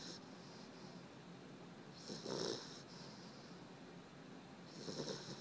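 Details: Sleeping puppy Dexter snores softly, with two hoarse, breathy rattles roughly three seconds apart against a steady background hiss.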